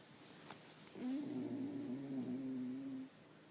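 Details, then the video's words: Sleeping pet dog giving a weird, funny snore: a single sustained humming tone of about two seconds that wobbles gently in pitch before stopping, indoors with little else audible. "my dog snoring"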